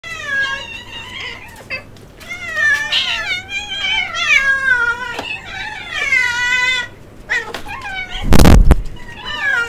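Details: Kittens screaming because they want egg; loud, overlapping, strongly harmonic meows that rise and fall in long wavering cries, nearly continuous, with a sharp broadband thump near the end.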